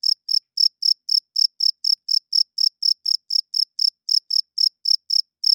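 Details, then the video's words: Night chorus of crickets, males stridulating with their wings to draw females and mark territory; bright, high chirps evenly spaced at roughly four per second, steady and uninterrupted, nothing else audible. "Cricket Chirping Sounds - Cricket klinkt 's nachts luid"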